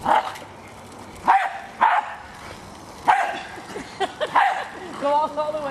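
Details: Hali, a female pet Jack Russell Terrier, attacking a remote controlled car: a few sharp barks spaced about a second apart, with a person's excited talk and urging between them.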